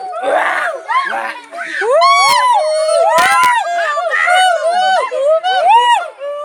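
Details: Gibbons at Guwahati zoo in Assam give a run of overlapping whooping hoots, each note sweeping up and then down in pitch.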